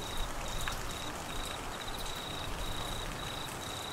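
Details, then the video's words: Queensland crickets in Australian monsoon season rain, amid flooding, give a row of short, high pulsed trills separated by brief gaps, set against dense rain noise. "Crickets and rain Sounds"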